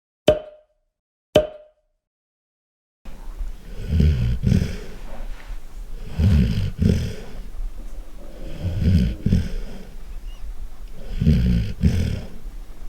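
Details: Golden retriever snoring loudly. Two sharp clicks and a silent gap open the recording, then deep, rasping rumbles rise and fall with each breath, about every two to three seconds, with a rougher snort at the peak of each cycle.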